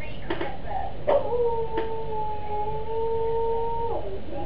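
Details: Cocker spaniel Higgins joins in as another cocker spaniel sings from a computer: one steady, sustained howled tone held for nearly three seconds, preceded by a few sharp clicks and faint voices.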